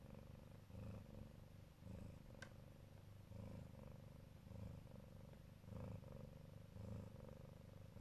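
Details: Siberian Neva Masquerade mama cat protecting her babies, purring deeply and steadily; rumbling pulses swell about once per second with the inhale-exhale rhythm, a faint click heard midway.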